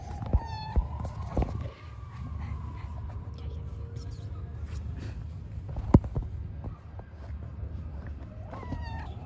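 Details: Hungry street cats being fed, giving brief meows at the start and close to the end, with a long steady tone early on and continuous low background rumble throughout.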